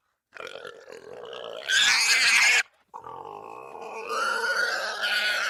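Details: Wild boar heard at night in the forest: a rough, wavering squeal that rises into a loud, shrill, harmonic scream, breaks off briefly, then resumes as a strained, whining moan.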